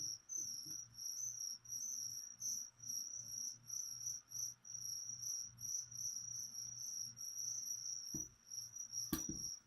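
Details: Crickets raised as leopard gecko food keep up a steady run of shrill, evenly pulsed chirps, several per second, with two sharp knocks near the end.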